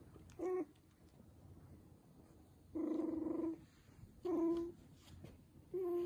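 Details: Poodle and bichon puppies whining: four steady, tonal whimpers, short ones about half a second and one held nearly a second, with a faint low room hum between them.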